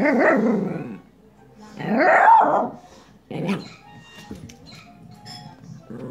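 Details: Coco, a pet dog, barks indoors at a crawling spider-like toy, seemingly afraid of being bitten: two loud, harmonic, drawn-out barks about a second apart, then a shorter bark, with faint background music.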